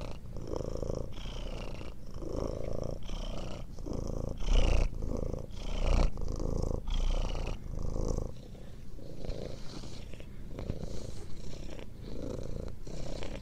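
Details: Domestic cat purring continuously for relaxation and sleep, a low rumbling purr pulsing in breaths roughly every second, alternating inhale and exhale phases, with faint higher rasping overtones.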